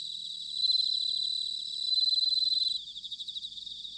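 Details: Autumn bell cricket song from Sanuki in Chiba, Japan: a loud, high, sustained ringing trill swelling twice, then fading into softer rapid pulses against a continuous chorus of other insects.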